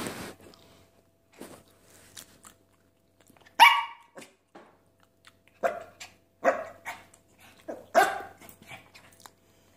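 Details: Havanese barking while demanding chicken: sharp, irregular single barks with a few soft grunts between them, growing more insistent toward the end, and a person's voice offering chicken.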